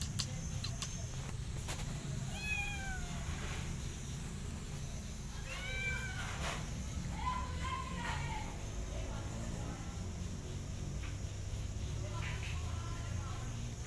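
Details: Domestic kittens groom a mother cat that alternately attacks and loves them; several thin, arched mews come in clusters, one longer and lower, against a constant low background hum with occasional clicks.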